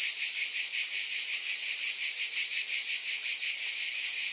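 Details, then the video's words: Steady high-pitched cicada buzzing, a thick sizzling wall of sound with a quick regular throb near three per second, uniform from start to end. "Scintillating Cicadas"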